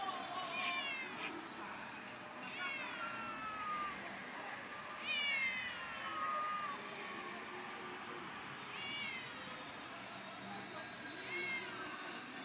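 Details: Stray cats outdoors being fed food, chicken and water: repeated meows about every two to three seconds, some with falling pitch and others drawn out and wavering, over a steady hiss of background noise.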